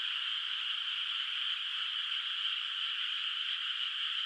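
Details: Frogs far off across a moonlit rice field at night, before rice planting, sound as one constant shrill shimmering chorus without gaps or individual calls standing out, with no other noises.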